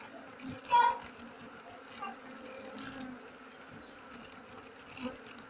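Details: Kept honey bee colony at harvest time, when mango, rubber, kapok, rambutan and coffee trees are flowering: a soft continuous hum with a sharp louder burst early on and scattered clicks and handling noises.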